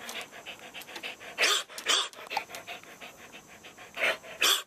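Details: Show dog that has been devocalized: its barks come out as raspy, whispery bursts of breath, about four in under five seconds, over rapid rhythmic panting.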